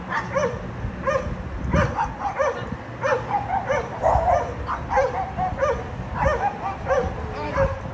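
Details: Dogs at a condominium barking loudly, as happens three times every day to the neighbours' annoyance: dense, overlapping barks coming in quick succession, more than one voice, above low background noise.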